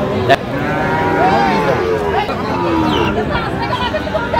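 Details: Busy Bangladeshi cattle market in Sirajganj, 5 August 2025, with a Sahiwal bull calf on sale: curving, tonal moos overlap throughout, a sharp knock early on, and a constant background of human voices.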